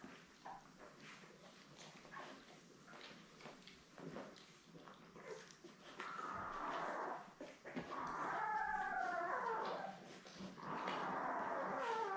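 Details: Newborn Lab puppies with their mother Belle, a litter of seven born May 24, 2021, on a live puppy cam: quiet rustling at first, then from about six seconds a run of wavering, repeated whines and squeals.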